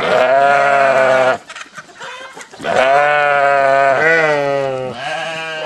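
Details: Sheep replying as the farmer calls, a long loud quavering bleat, a short gap of scuffling, then another sustained wavering bleat and a shorter one.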